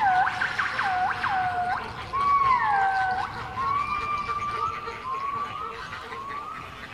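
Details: Captive gibbons at Artis in Amsterdam give looping U-shaped swooping whoops, quickly repeated, then smoother drawn-out whistled notes rising and falling over a murmur of visitors.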